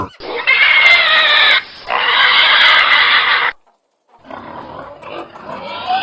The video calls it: PIG SOUND - PIGS